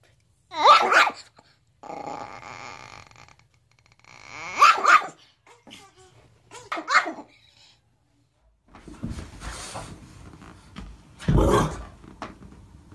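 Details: Dog confronting its reflection in a mirror: two bursts of high, yelping barks separated by a low, rumbling growl, then noisy scuffling and one more loud bark near the end.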